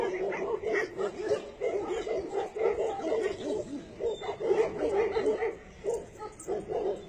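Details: Tibetan Mastiff dogs producing a dense, continuous stream of short, mid-pitched yips and whines that overlap one another, with almost no gaps across the stretch and no other clear sounds.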